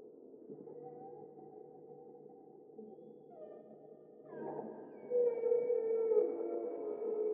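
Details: Humpback whale (Megaptera novaeangliae), song.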